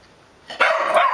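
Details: Bruce the puggle lets out a loud, rough bark that rises quickly and holds to the end of the clip, heard indoors.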